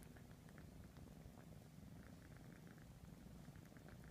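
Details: Grooming session by Ralph, a three-and-a-half-month-old kitten tending his siblings: an unbroken low purr beneath rapid, soft, bubbling lick sounds repeated every fraction of a second.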